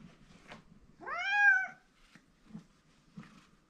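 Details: Male domestic cat Mike crying for his owner's attention indoors: one loud, rising-then-falling meow lasting about half a second, with faint soft thumps and rustles around it.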